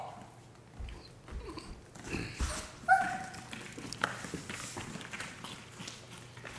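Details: Dogs in a fight, recorded on a Sony a7 III camera: scattered low growling and snarling bursts build through the middle, with a couple of brief whining yelps around the third second over a steady low hum.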